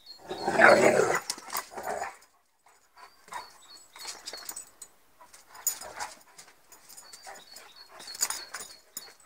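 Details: Two Inuit dogs play fighting rough and tumble, a black and white Northern Inuit named Rox and a wolf-like Saarloos Inuit named Wylee: a loud burst of growling vocalisation early, then softer grumbles, snorts and scuffling in bursts.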